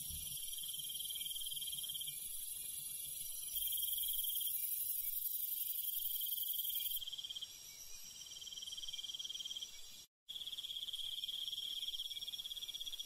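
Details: Crickets and other night insects in the countryside: a continuous high trill with a very high ringing band that strengthens for a few seconds and then fades. Near the tenth second there is a brief total silence before the chorus resumes.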